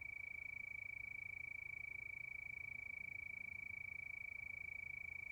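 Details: Nighttime crickets chirping in a continuous high-pitched pulsed trill, fast and regular from start to end, over a soft low background hum.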